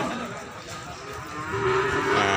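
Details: Peranakan Ongole cattle at the Imogiri cattle market, Bantul, Yogyakarta, Indonesia: a single steady low moo rising out of loud, dense market chatter and background noise near the end.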